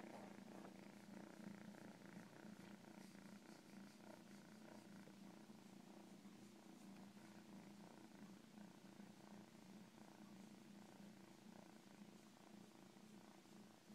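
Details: Cat giving a long, even purr, a deep humming vibration with gentle breathing rhythm that carries on unbroken from start to end.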